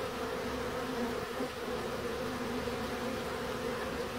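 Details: Continuous bee buzzing, a thick steady drone with shifting hum layers and no pauses.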